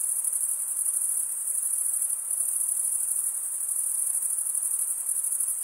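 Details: Unbroken high-pitched chirping of crickets, a fine rapid pulsing trill at even volume throughout.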